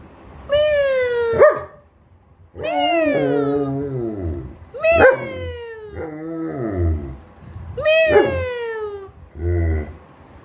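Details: German Shepherd dog following its owner, giving a series of loud drawn-out whining howls, each sliding down in pitch and rich in overtones, about five calls with short gaps between them, some with a quick rising start.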